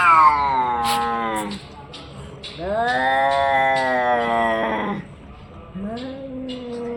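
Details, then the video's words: Orange and white domestic cat with long, moaning meows: a falling wail, then a steady, sustained cry of about two seconds, then a shorter rising call; a few soft clicks and knocks in the background. "cat funny sounds"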